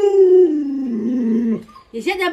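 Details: Lolo, a pet Alaskan Malamute, vocalizes at home while a person holds food and talks. One sustained howl glides downward over about one and a half seconds, breaks off briefly, then resumes with a short higher note.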